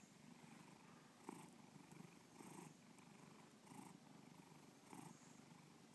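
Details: Bubba the cat purrs steadily, a low throaty vibration rising in soft bursts about once a second, each swell brightening briefly before easing back.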